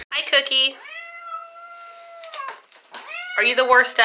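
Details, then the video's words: Aggressive domestic cat letting out a long, loud, level yowl that bends downward at its end, then a second rising yowl, with sharp broken bursts and a person speaking indoors around it. "Angry and Aggressive Cats Hissing Compilation - Growling, Hissing and Claw"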